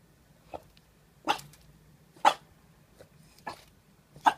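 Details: A French Bulldog learning to bark gives six short, high yappy barks about a second apart. Some are faint and some are sharper, in a quiet indoor setting.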